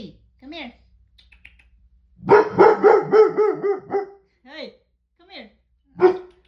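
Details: Pet dog guarding the house against a delivery person, letting out a rapid run of loud, ringing barks with a slight howling edge, several per second, between quieter yelps and an owner's calming words.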